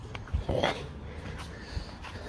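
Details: Pet fox kept at home, complaining indoors: one short, whiny, tonal cry near the half-second mark, rising then breaking off, over a low room hum with faint clicks and handling noise.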